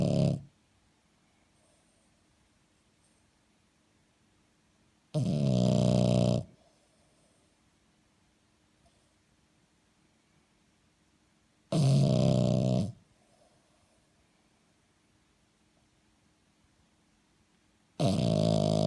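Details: Sleeping French Bulldog snoring: deep, rough, vibrating snores of about one second each, repeated roughly every six seconds with near silence between breaths.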